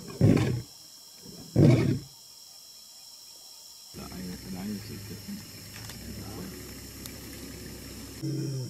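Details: Two deep, loud roar bursts from a male African lion open the recording, followed by people talking quietly.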